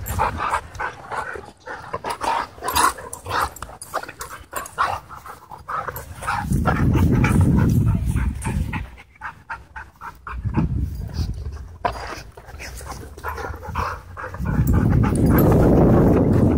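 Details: Wild play at a dog park: fast, regular panting for several seconds, then broad rumbling, growl-like bursts and scuffling as the dogs tussle, with panting returning between bouts.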